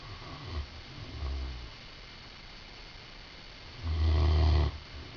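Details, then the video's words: A napping Great Dane gives soft, low breaths, then one loud, rough snore near the end that lasts almost a second. "Great Dane Snoring"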